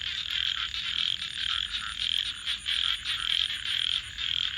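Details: A chorus of frogs at night beside a crackling campfire gives steady, high, pulsing trills that swell and fade in overlapping waves.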